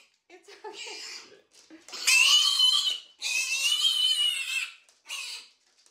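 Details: Odie, a stubborn pet piglet, being leash trained in a harness indoors with Cheerios as treats; loud, piercing, high screams in two long sustained bursts with a shorter one after, following quieter squeals and a person's coaxing.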